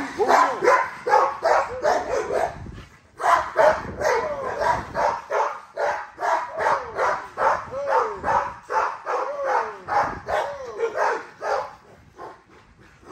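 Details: Exercising female XL ghost tri American Bully named Nyla barking in rapid, rhythmic bursts of roughly two to three barks a second. There is one short pause after the opening volley, and the barking tapers off near the end.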